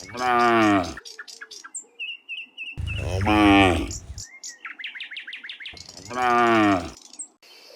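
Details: Cows returning in the afternoon from the fields to the pen; three loud, sustained moos spaced roughly three seconds apart, with faint chirping birds in between.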